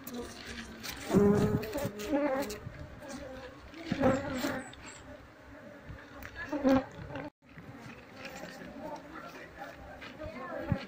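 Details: Wild Asian honey bee colony of Apis cerana being brushed off its comb with a paintbrush while being moved to a hive box, during the search for the queen; a steady low hum with harmonics swells and fades, with soft handling noises.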